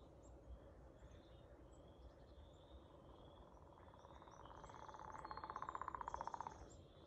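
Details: Singing frog gives a rapid pulsed trill in the last two seconds, mid-pitched and swelling louder, over a steady low rumble with faint high bird chirps scattered throughout.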